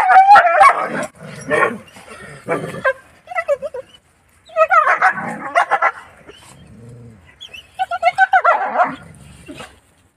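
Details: Village desi dogs meeting a house dog: short yelping barks and whimpers come in bursts, with pitched whining stretches between quieter pauses.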